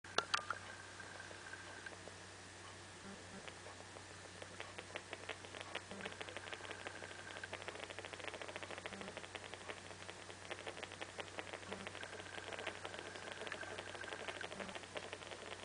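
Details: Sam, a pet female rat, making soft, rapid clicking and chattering sounds in quick irregular runs throughout, with a steady low hum behind.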